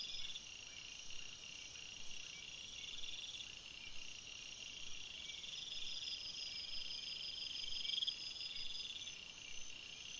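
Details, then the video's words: Night forest crickets in full chorus, an unbroken high ringing hum made of several stacked trills, one finely pulsed, with faint low ticking beneath and no other clear sounds. "Crickets Sounds, Night Sounds"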